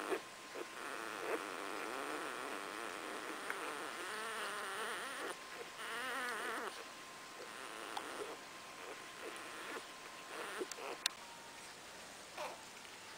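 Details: Five two-day-old Cardigan Welsh Corgi puppies of the Fromax Kennel in Sweden, a litter born March 23rd, 2012, give wavering, warbling squeaky whines in bursts, with shorter chirps and faint background hiss between.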